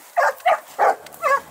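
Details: At the Les Dogues de Plaine kennel, an amateur Dogue de Bordeaux breeder, dogs give four quick, forceful barks spaced about a third of a second apart, with no other sound competing.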